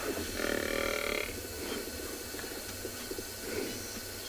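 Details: African buffalo (Syncerus caffer) on a sunset safari, 11 October 2020, gives a brief, soft, grunting moo showing displeasure at a nearby lion as other buffalo arrive to help drive the lion off.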